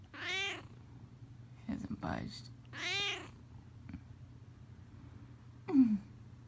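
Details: A cat comfortably bundled in a heated blanket indoors gives two clear, stretched meows about two and a half seconds apart. A short spoken phrase falls between them, and a brief squeak follows near the end.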